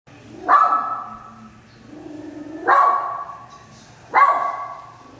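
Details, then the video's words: West Highland White Terrier barking indoors at nothing visible, three sharp loud barks spaced about two seconds apart, each with a short whining tail, and soft low grumbles between them. "Westie (White Terrier) Barking at Imaginary Friend(?)"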